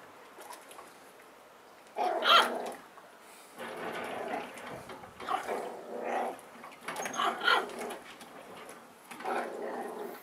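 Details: Eight-week-old Schipperke puppies indoors, giving rough growling and whining bursts in uneven groups of one to two seconds, several loud outbursts separated by short quiet gaps, with faint handling noises between.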